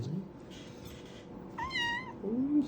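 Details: Kitten meowing indoors during ear cleaning: a short bright meow with a wavering, slightly falling pitch, followed by a lower soft mew, with background murmur and rustling.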